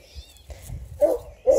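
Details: Twelve-day-old Redtick Coonhound x Black and Tan Coonhound cross puppies from a litter of eleven near Kingston, Ontario, Canada; two short, mid-pitched whimpers about half a second apart over a low rumbling background.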